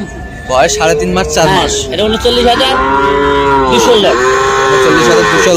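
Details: Small Sahiwal bull calves at a market in Mymensingh on 7 February: short broken vocal bursts, then two long arched moos back to back, bright and harmonic, over a low hum of the busy surroundings.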